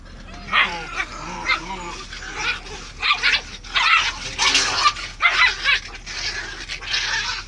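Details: Samoyed fighting aggressively with his brother: rapid string of harsh, noisy growl-barks and yips, about one burst per second, growing denser and overlapping in the middle, with a person's voice telling them to stop.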